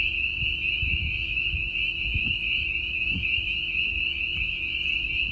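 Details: A dense spring peeper chorus, with some boreal chorus frogs mixed in, heard at night in spring in the Missouri Ozarks during rain; countless high piping peeps merge into a steady, ringing wall of sound.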